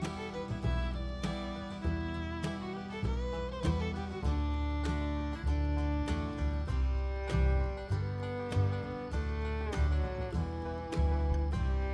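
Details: Upbeat country-style tune of fiddle and plucked guitar with a steady bass line fills the recording, and no animal sounds are heard.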